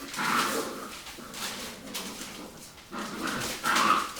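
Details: Rottweiler puppies fighting and playing after a meal: rough growling bursts and squeaky yelps come in two clusters, separated by a quieter pause with scuffling noise.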